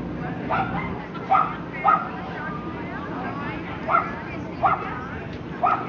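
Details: Lhasa Apso barking during the breed's classes at the Somerset Hills Kennel Club dog show on Saturday, September 5, 2009: six short, sharp barks spaced about half a second to two seconds apart over a steady hum of crowd chatter.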